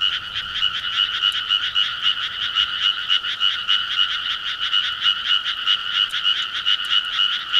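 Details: Loud summer chorus of countryside frogs: overlapping rasping croaks pulse rapidly at a steady pace, with a ringing higher tone riding above them and almost nothing in the low range.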